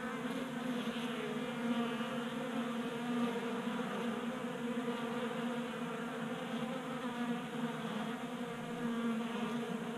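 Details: Steady collective humming of honey bees feasting at a 3D-printed feeder on a workbench in a Colorado garage, January, about 60 degrees; dense, continuous buzz with gentle rises and falls as bees move about.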